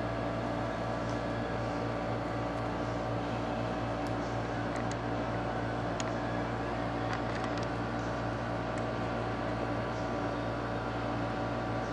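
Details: A steady mechanical hum like a fan or air conditioner drones throughout, with a few faint clicks and no animal calls.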